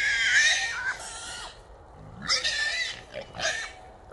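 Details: Three small wild boars trapped in a small trap in Texas, heard at about three in the morning; harsh, noisy screams in several bursts of about a second each, with short gaps between.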